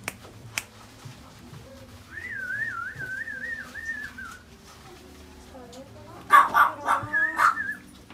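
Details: A toy poodle gives a long, high, wavering whine that rises and falls steadily for about two seconds. After a pause come a quick cluster of short, sharp yelps and whimpers. There is a low background hum throughout.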